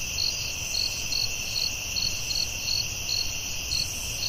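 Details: Crickets in a forest at night give short bright chirps about twice a second, layered over a steady shrill hum and soft low-frequency rumble.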